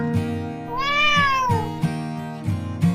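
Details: Domestic cat giving a drawn-out 'nyaan' meow while rolling over, a sign it wants to be petted and fussed over; one rising-then-falling harmonic meow of nearly a second, heard over plucked guitar music.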